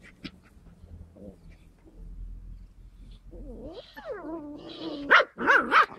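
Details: Skye Terrier puppies: after quiet low rumbling, wavering whimpers rise and fall, then three sharp, high yelps follow close together near the end.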